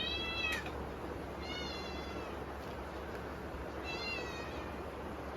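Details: Kittens calling out from hunger at dinnertime during a typhoon: two short, clear meows with gently wavering pitch, set against constant rain noise and a low hum.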